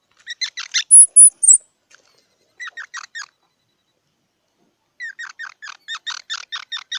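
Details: Squirrel giving rapid runs of squeaky chirps, with a few thin, very high-pitched whistles near the start. A short burst follows, then a longer, fast chattering series at the end.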